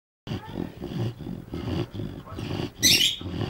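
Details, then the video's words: A Bloodhound napping after a long day out snores with deep, rumbling, rapidly repeated breaths. "Bloodhound snoring"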